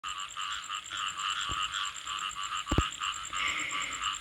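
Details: Frogs calling late at night, around nine to eleven o'clock, in a dense, steady chorus of many overlapping pulsed croaks, with a thin continuous high tone above and a couple of brief knocks near the end.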